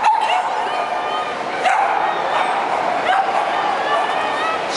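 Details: A Cavalier King Charles Spaniel in the UK gives a long, thin, wavering, nasal whine that holds a high pitch, broken every second or so by short sharp yips; a human voice may be faintly mixed in.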